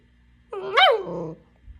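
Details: Papillon dog giving a single drawn-out, rising-then-falling yelping bark with a whiny, vocal quality, indoors.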